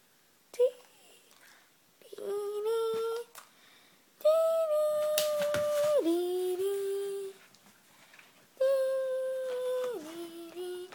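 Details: Norwegian elkhound named Elk, indoors in Japan after a shampoo, wrapped in a Giants towel, gives four drawn-out moaning howls, each held steady and then dropping in pitch, separated by short quiet pauses in a small room.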